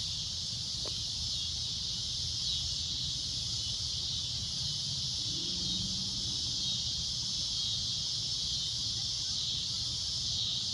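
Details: At golden sunset a cicada keeps up a loud, shrill, even drone, a constant high sizzle throughout, with a brief faint click near the start and soft low noise beneath.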